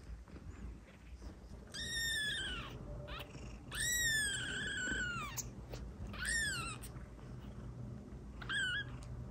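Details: Kitten meows used to call cats: four drawn-out, bright mews spaced a couple of seconds apart, each arching up then sliding down, the longest lasting over a second.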